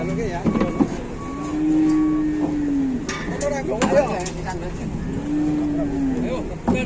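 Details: Cattle in Indonesia, one cow said to be pinched and trapped, lowing in two long, smooth, slightly arching moos separated by clattering knocks, people talking and engine noise.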